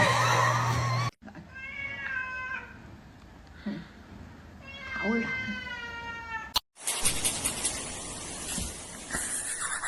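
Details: Kitten meowing indoors: a few drawn-out, slightly wavering meows between quiet gaps, with abrupt cuts and bursts of other noise and speech around them.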